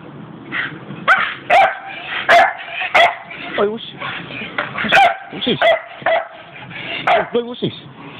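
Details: Pet Staffordshire Bull Terriers at play; repeated short barks and yelps with a few whining, sliding whimpers, irregularly spaced, alongside people talking.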